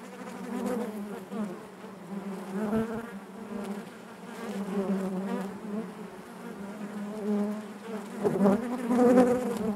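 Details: Inside a honey bee hive, the colony makes a constant deep buzzing drone with stacked harmonics, gently pulsing in volume and growing louder toward the end.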